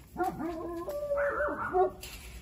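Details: Newborn female Giant Schnauzer puppy making a run of high, thin whimpering cries that slide up and down, several joined whines within about two seconds, indoors and fairly quiet.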